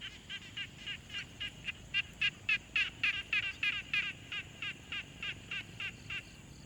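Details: Pond frog recorded with a Tascam Portacapture X6 in a quiet pond ambience: steady train of short raspy pulses, roughly three and a half per second, growing louder in the middle then easing, against soft background hiss.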